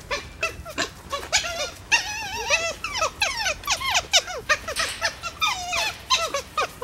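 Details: Dholes (red wolves) kept at Novosibirsk Zoo, Russia, on 4 September 2017, calling to one another in a dense stream of high, wavering squeals and whistled yelps, some rising and falling, overlapping in lively chatter.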